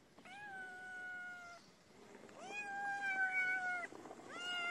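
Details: Hungry feral kitten crying for food, its mother nearby: long, level, harmonic-rich meows, each about a second or more, sliding slightly downward at the end, with short gaps and a soft background hiss.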